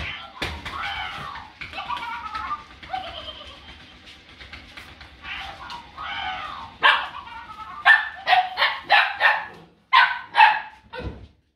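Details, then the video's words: Puppies nearly eight weeks old from one litter playing with a ball, giving a busy mix of high yips, whines and short barks, scattered early and then clustered in quick bursts near the end. "Live Laugh Bark"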